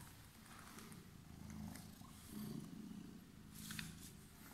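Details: A purring cat with emerald eyes, waiting for someone; a steady low rumbling purr swells and fades in slow breathing cycles, with faint rustling above.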